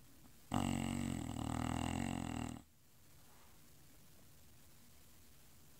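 An English Bulldog gives one long, rough, rumbling snore lasting about two seconds, followed by quiet breathing.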